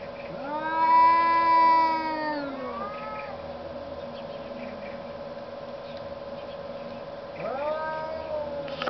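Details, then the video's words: Arguing cats in snow: a loud, richly harmonic yowl swells and falls between half a second and three seconds, a softer moan follows, then another rising wail begins near seven and a half seconds; steady hum beneath. "Arguing cats in the snow"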